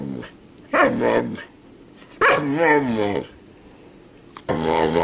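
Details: Snow dog 'talking' indoors, making three separate drawn-out, wavering vocal bursts that sound like 'mama', each under a second long, with quiet gaps between them and a person repeating 'mama' around it.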